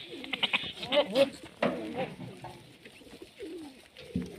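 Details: Sirohi goat kids on a goat farm, several short wavering bleats overlapping in a quick, irregular series, with louder quavering cries near the start and softer, lower calls trailing off toward the end.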